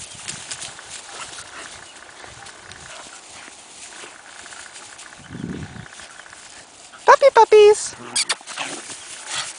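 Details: Two four-month-old Siberian Husky puppies, Cassia and Disco, at play time in their kennel; a short run of loud, high whining yelps with a falling pitch arrives near the end, over steady background hiss and a brief low rumble.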